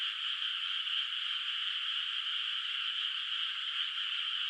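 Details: Night in a moonlit rural rice field before planting, where frogs call far off; their massed voices blend into a constant high, buzzing hum that stays level from start to finish.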